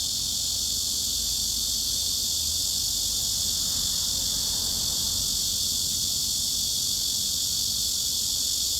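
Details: A cicada's steady, high, hissing buzz, mid-frequency around 2.3 to 3.6 kHz, continuous and unbroken throughout.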